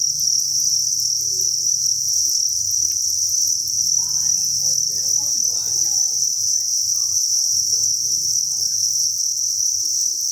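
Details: A steady, piercing chirping chorus from thousands of farmed crickets fills the breeding facility, with quiet indistinct voices and a low hum underneath.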